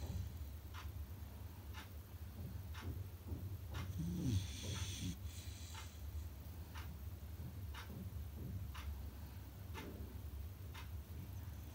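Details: Loud snore from a sleeping Beagle puppy, a single raspy, hissing breath near the middle, while an even ticking sounds about once a second above a low background rumble.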